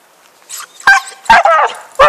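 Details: Dog named Happy, playing with a stick in 2012, gives three sharp, separate barks spaced under a second apart after a brief soft whine.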